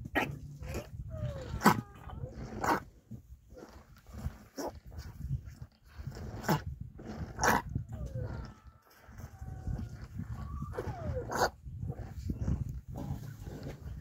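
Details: A rhino calf moans on a Monday morning, standing behind a keeper while another calf inspects his milk bucket: thin, falling, whiny tones come in short groups, mixed with sharp clicks and knocks and low rumbling background noise.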